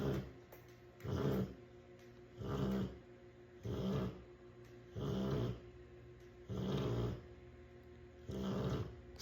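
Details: Rottweiler named Simba asleep and snoring: six deep, rasping low snores, each about a second long, repeating steadily roughly every one and a half seconds with quiet pauses between.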